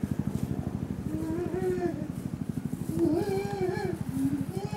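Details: Chimpanzee family at Tama Zoo, Japan, May 2019, a captive group including adult male Decky and several females and young: rising and falling hooting calls over a dense rapid pulsing background.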